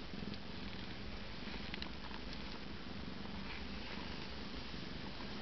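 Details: Eight-day-old Siamese kittens resting after nursing, full of milk, with their mother caring for them; continuous low, even purring fills the whole stretch without breaks.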